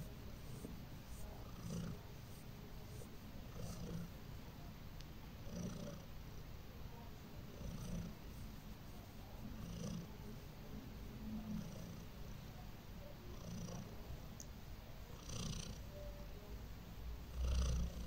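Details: Purring of the domestic cat Heliana as she falls asleep, a long unbroken low rumble pulsing softly with each breath at a slow, even pace, with one louder swell near the end.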